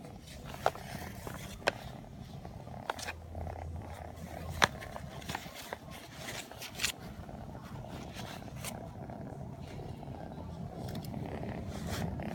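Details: A 4-month-old blue British Shorthair kitten purrs steadily, a soft low rumble broken by a few sharp clicks; the kitten also sneezes and dozes off.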